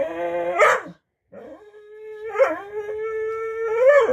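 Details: Talkative pet dog vocalizing while about to get a snack: a short whine, then a long, steady, howl-like tone that bends upward at the end with a brief rising yelp.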